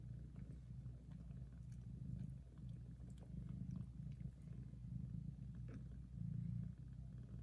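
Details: Mother cat purring very loudly while licking, caring for and nursing her newborn kittens; a steady, deep rumbling purr that swells and eases with each breath, with faint soft clicks and rustles over it.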